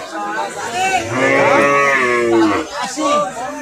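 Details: Cattle at the Botatoli cattle market in Brahmankhara, Bangladesh: a long, drawn-out, wavering moo with rich harmonics swelling in the middle, over crowd chatter and men's voices bargaining.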